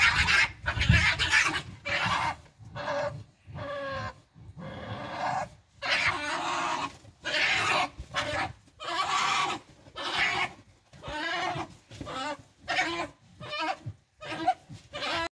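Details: Two European badgers fight under a ground-level terrace, giving harsh, raspy squeals and screams in rapid, irregular bursts.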